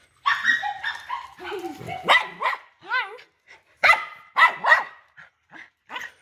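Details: A big-bellied dog on its way home gives short, high yips and wavering, rising-and-falling whines, followed by a few sharper bark-like bursts, with people talking close by.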